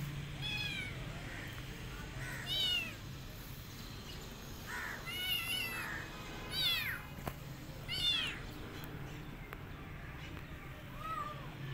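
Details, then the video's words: Rescued kitten calling after her rescue: a series of high, arching meows, about six over twelve seconds, some rising then falling, with a steady low hum beneath. "Poor Kitten Behaviour After her Rescue"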